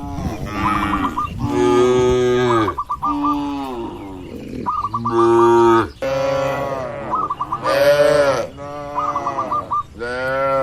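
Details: Cattle herd at large in an open green field, roaming and eating grass: steady overlapping moos, deep and rough, nearly continuous, while small birds chirp repeatedly in short bursts between them.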